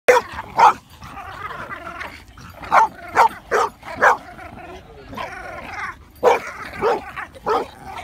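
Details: French Bulldogs, best friends with hackles up, trade sharp, scratchy barks and snorting yips while play fighting, with people talking in the background.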